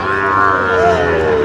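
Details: At a Bangladeshi cattle market in mid-October where Sahiwal bull calves are traded, one long, sustained lowing moo holds steady and then bends slightly, with voices murmuring underneath.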